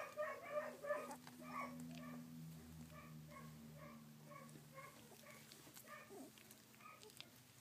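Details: Collie puppies at sixteen days old, 3 June 2013, let out a few loud squeaky whimpers at the start, then softer, sparser cries fade behind a steady low mechanical hum.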